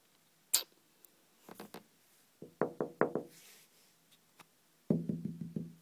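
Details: A squirrel on a second-floor French balcony barks in abrupt, harsh, percussive chucks, some single and some in rapid strings of four or five, with quiet gaps between. Tapping on the window is also heard.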